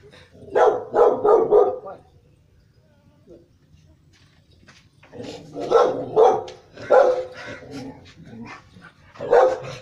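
A Rottweiler barks in short bursts of loud, harsh woofs, with a human voice nearby.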